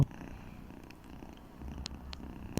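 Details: Fluffy red cat Persik, curled under a pillow going to sleep, gives a continuous low rhythmic purr, broken by a couple of brief clicks near the end.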